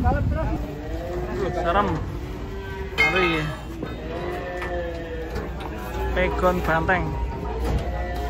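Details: Banteng cattle coming down off a truck during unloading: low, drawn-out moos holding a steady tone, partly overlapped by men shouting warnings and background music.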